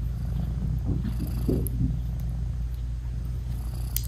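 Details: British Shorthair mother cat purring while nursing her newborn kittens with still-closed eyes: a deep, even rumbling purr fills the recording, with a few faint soft murmurs near the middle and a small tap at the end.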